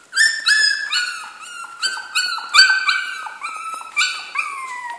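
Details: Several Jack Russell Terrier puppies in a kennel whine loudly in overlapping, squeaky, tonal cries about twice a second. Some cries hold level while others dip or fall at the end, forming a continuous chorus of yelps.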